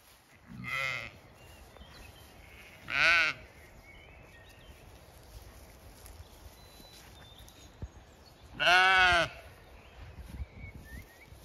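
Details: Zwartbles sheep in the main flock on a County Kilkenny farm in Ireland, the owner walking through: three separate strong, quavering bleats at spaced intervals, the last longest, over a low field hiss with faint high bird chirps.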